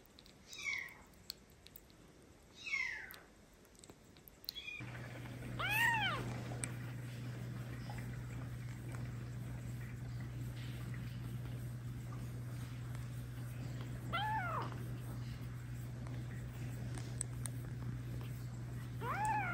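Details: Orphaned adopted kitten, one of Kiki and Steve, indoors learning to drink milk from a bottle; high arched meows come at irregular intervals, some rising then falling, over a steady low electrical hum that begins partway through.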